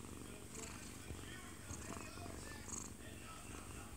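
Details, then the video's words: Munchkin cat, one year two months old with odd-coloured eyes, purring while asleep in its owner's arms, recorded up close indoors; a steady low rumbling purr runs throughout, with television broadcast sound playing in the living room behind. "아빠 품에서 자는 꼬부기 골골이"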